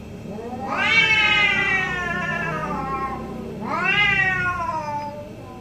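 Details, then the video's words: Morning back-and-forth between two orange house cats, heard as two loud, drawn-out meows about three seconds apart, each sliding down in pitch, with faint low hum underneath. "2 Orange Cat Morning Debate"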